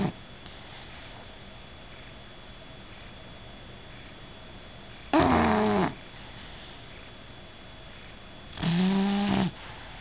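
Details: Bella, a female Bulldog, asleep indoors: two loud rasping snores at about five and eight and a half seconds, each lasting under a second, with a low, quiet hiss in between.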